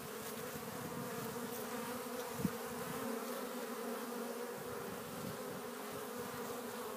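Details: Honey bees crowding a Warre hive entrance with pollen loads, April 12th in spring. Constant buzzing drone with a clear low tone, one sharp tap near the middle and a slight swell afterwards.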